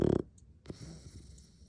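An English Bulldog gives a short, rasping, pulsed snore, followed by quiet breathing.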